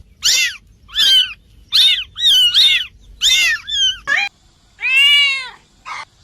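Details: Cat meowing in an irregular run of short, bent, nasal mews, some overlapping in quick pairs, followed by one longer, lower, drawn-out meow near the end.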